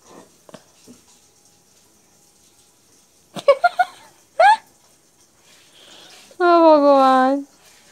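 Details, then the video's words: Two cat brothers fighting on a lap indoors: brief harmonic yelps, then a sustained, slightly wavering low yowl lasting about a second, with quiet speech and household noise in the background. "Two cute cat brother fighting on my lap"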